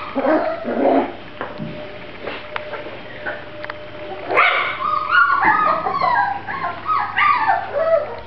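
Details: Grand Basset Griffon Vendéen puppies at a kennel, giving scattered high yips and squeaky whines, sparse at first and then denser and overlapping in the second half, with a steady low hum behind.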